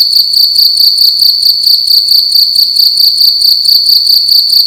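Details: Indoor cricket at night giving a sharp, high ringing chirp repeated in quick pulses, loud and close, with soft low clicks in the background.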